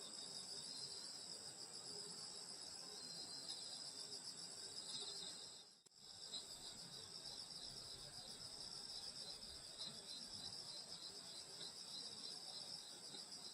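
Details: Countryside summer night at a grandmother's house: a dense chorus of insects shrilling in steady high bands, with a faint pulsing trill beneath and a brief dip in sound near the middle.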